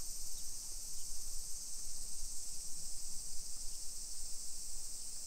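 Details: Japanese summer cicadas heard on a hillside residential walk in Nisshin, Aichi Prefecture, at 1 PM on 28 July 2021; a steady high-pitched buzzing chorus continues over a pulsing low rumble like footsteps.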